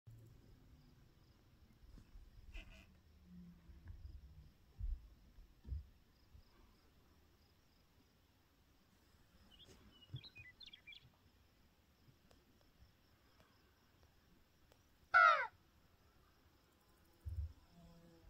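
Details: A pronghorn gives one sudden, harsh, wheezy call against a quiet outdoor background; recorded May 30, 2021.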